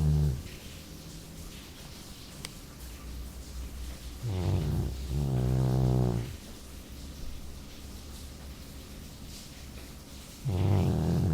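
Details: Jully, a Labrador, asleep and snoring: low rumbling snores with buzzy harmonic bands, long breaths roughly every six seconds, quiet gaps between them.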